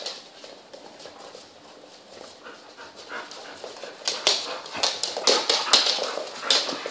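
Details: A litter of twelve young puppies playing alongside the mother dog: soft whining and shuffling at first, building in the second half into rapid, piercing squeaks and yelps.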